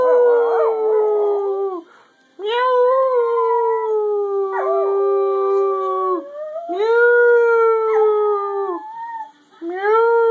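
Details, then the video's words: Pet dog singing, drawn-out tonal howls about two seconds each, gliding slightly downward, separated by short breaths, with a wavering start and a rising final note. "The singing Dog"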